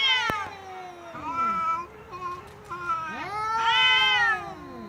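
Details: Cat making funny sounds: a sharp click, then descending meows and short chirpy notes, ending with a loud, long arched yowl.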